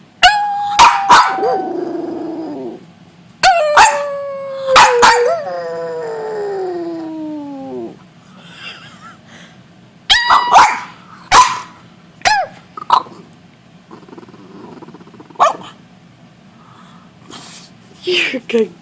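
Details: Household dog joining its owner in noisemaking: quick barks and yips in clusters, one long howl sliding steadily down, then scattered short yelps and quieter whines.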